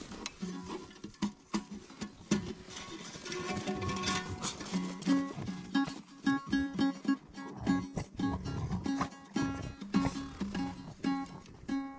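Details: No animal sound: soft plucked guitar or ukulele music with repeated bright notes.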